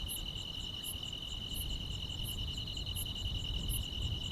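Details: On a calm countryside summer night, grass insects keep up an unbroken high trill, with an occasional sharp chirp roughly every 0.7 seconds and a noticeable low rumble beneath.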